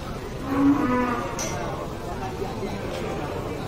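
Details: Tame cow being fed by a cattle farmer at an animal market: one short, low, droning moo around the first second, then fading into a steady hubbub of market noise and distant voices.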